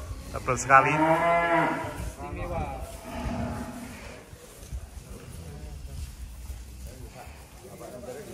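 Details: A very large bull of about 1.3 tons, kept on a farm in Indonesia, gives one loud, rich, harmonic moo lasting just over a second near the start, followed by quieter low sounds and murmuring.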